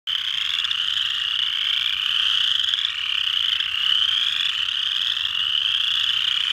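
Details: Chorus frogs (Pseudacris) calling at Mud Hen Marsh, Delaware County, Ohio, USA, on 12 March 2020. A dense, unbroken chorus of high, rising trills overlaps steadily throughout, with no other clear sounds.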